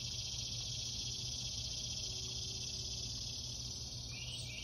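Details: Insects keep up a steady, high, shimmering drone in the early morning of July 14, 2021, with a low rumble of background noise underneath.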